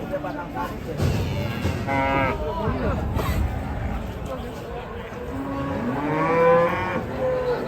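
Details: Raging cattle bellow over and over, with several overlapping harmonic moos, some rising and some falling, against a rumbling, busy background.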